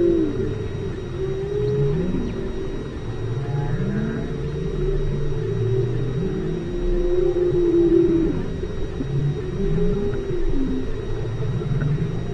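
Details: Whales recorded underwater at a depth of 5 km at station Aloha: low moaning calls sweeping up and down in overlapping arcs, with a steady deep rumble and thin constant tones above.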